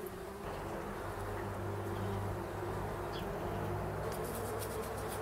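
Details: Bumblebees that have moved into a bee hotel meant to shelter them over winter, turning it into a hive: a steady, low droning buzz with layered hum tones holding throughout, plus a few faint high ticks near the end.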